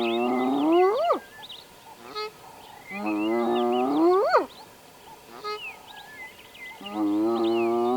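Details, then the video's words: In Addo Elephant National Park, spotted hyenas give long rising whoops that sweep up sharply at the end, repeated every few seconds; these contact calls possibly signalled the clan to move on, and they then headed toward water. "Hyenas make contact calls for a number of reasons and in this instance it could have been to indicate to the clan that it was time to move on."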